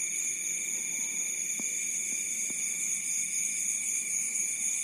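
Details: Crickets by a rice field at night in Bantul, Yogyakarta, keep up a bright, continuous, high-pitched ringing in layered bands, with three faint soft taps in the background.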